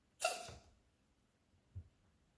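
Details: Domestic cat deliberately making herself cough: a single sharp, explosive, breathy burst right at the start, fading within half a second, then a soft low thump a second later in an otherwise quiet indoor room.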